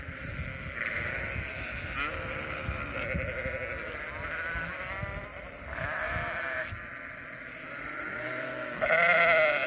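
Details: Flock of sheep with many overlapping bleats of varied pitch blending into a continuous chorus, over a rumbling, noisy background; one louder, brighter bleat rises at the end.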